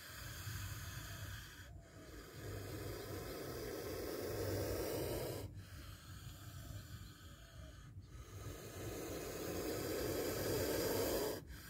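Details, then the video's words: A spectacled cobra gives repeated breathy hisses in a tense encounter where it strikes. Long rasping exhalations of about two to four seconds each are separated by short silent breaks, with a steady low hum beneath. "Spectacled Cobra Snake Sound"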